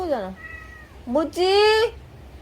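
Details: Yard cat Momo in Laos, squabbling to hold territory as the rainy season begins: a short falling yowl, then a quiet pause before a sharp rising cry that swells into a loud, sustained, strained wail.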